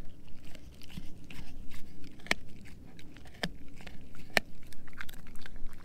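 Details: Indoors, Edu the German Shepherd mix gnaws a dehydrated pig ear treat; soft wet chewing punctuated by three distinct hard cracks spaced about a second apart, otherwise low muffled crunching.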